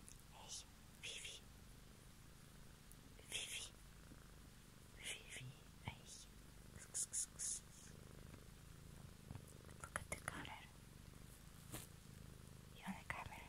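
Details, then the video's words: Steady low purring from a cat, while soft whispering and short sibilant breaths come and go over it. "ASMR Cat song"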